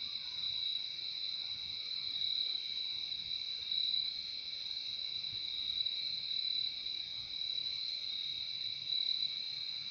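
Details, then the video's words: Crickets in a nature recording: a steady, unbroken high shimmering trill with a brighter upper band and a softer lower band, holding even throughout with no pauses and a faint low background rumble. "Relaxing sound of crickets"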